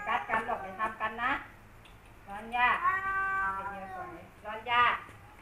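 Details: Two rival male cats, Kaopat and Ronja, face off at home after Kaopat returns from a month away. Choppy wavering bursts give way to a long, drawn-out harmonic wail, then a short rising cry.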